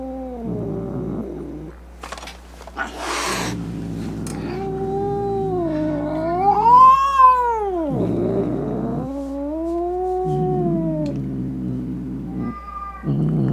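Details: Furious domestic cat caterwauling to scare off rats, opossums and other cats; low growls rise into a loud, arching wail that climbs and falls, followed by further moaning yowls, with a brief hiss-like burst early on.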